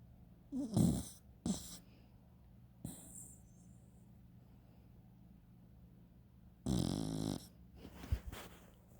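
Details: A pet dachshund snoring as she sleeps indoors: short raspy snorts near the start, then a longer rattling snore with a hissy tail after a quiet stretch, over a faint steady low hum.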